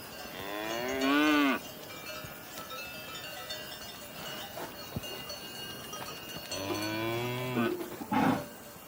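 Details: Cattle moo three times: a brief bellow that falls in pitch, then after a long pause a longer, deeper moo and a short final grunt, with a faint metallic ringing between calls.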